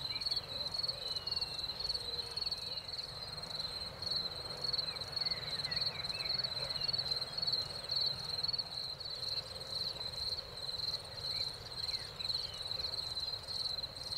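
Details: After spring rain, crickets keep up an unbroken, high, finely pulsed trill at an even pitch, with faint rustling in the background.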